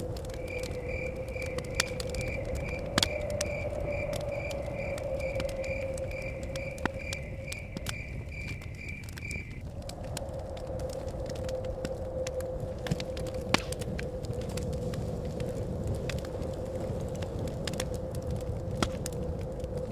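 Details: Crickets chirping beside a crackling fire with blowing wind at a cabin in the forest: an evenly spaced train of short, high chirps, about one and a half per second, stopping after nine seconds, over a steady hum, fire pops and low wind rush.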